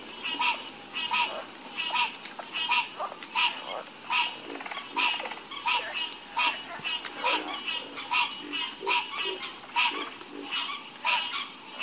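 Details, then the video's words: Night chorus of frogs, short bright croaks repeating roughly every second in a loose rhythm, with fainter lower grunting calls beneath and a constant high hissing background. "FALL ASLEEP FASTER WITH FROGS 🐸 Sleep Like A Baby With The Calming Sound Of Harmonious Frog Croaking"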